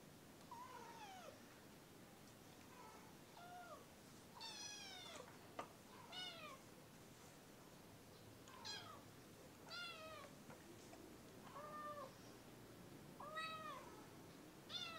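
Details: Early-morning kitten meowing repeatedly, clear high mews with rich harmonics, some rising then falling, coming every one to two seconds, with a few soft clicks and light room noise between calls.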